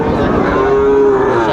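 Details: Sahiwal cattle at a livestock market in Magura, Bangladesh, on 22 August 2024, where Sahiwal bulls are being bought; one steady, low drawn-out moo lasting under a second over a constant crowd and market hubbub.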